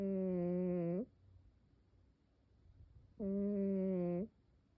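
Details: Cat snoring indoors, two even, droning snore sounds of about one second each, separated by a three-second pause with a soft room hush between them.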